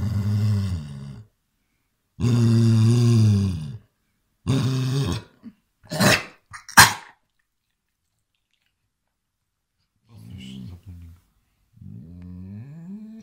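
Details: Basset Hound indoors reacting to an attacking hand, giving low, rough, drawn-out growling grumbles in three bursts, then sharp knocks and a quieter rising growl near the end.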